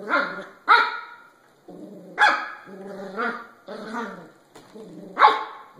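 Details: Puppies barking: short, high, harmonic yaps and yips come in uneven bursts with brief pauses, some rising sharply at the onset, with a lower whining undertone between barks.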